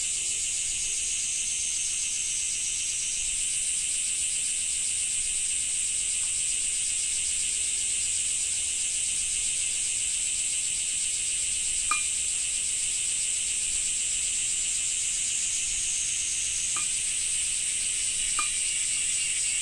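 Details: Summer cicada chorus in Japan: a continuous high-pitched whirring drone that grows fuller after the first few seconds, joined by a handful of short sharp ticks late in the recording.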